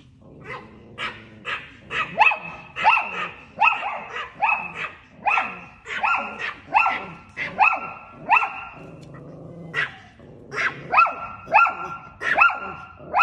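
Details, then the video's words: Pet Chihuahua barking at a cat: sharp, high yapping barks in uneven bursts, about 76 a minute, with brief pauses between runs and a few lower growly notes underneath. "Cute Chihuahua Dog Barking At A Cat"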